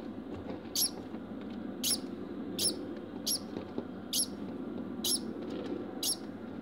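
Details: A male degu, Bambam, barks following mating, giving crisp high clicks spaced roughly once a second against constant background hum.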